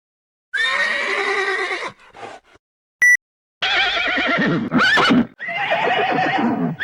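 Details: Horse neighing: a long harmonic whinny, then a pause with faint snorts and a short click, followed by a second quavering neigh that rises into a sharp squeal and trails off.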